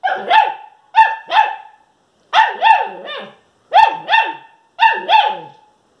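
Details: A German Shepherd puppy barking for the first time gives high, yappy barks in quick pairs and triplets.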